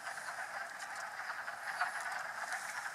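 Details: In March on the Mount Tom range of western Massachusetts, a dense wood frog chorus gathers at vernal ponds after thawing from winter freezing: many overlapping, low, duck-like clucking croaks merge into a steady rattling din.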